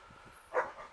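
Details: Street cat waiting for food outdoors, a single short meow with stacked harmonics, rising to a brief peak and quickly fading, over quiet background rustle.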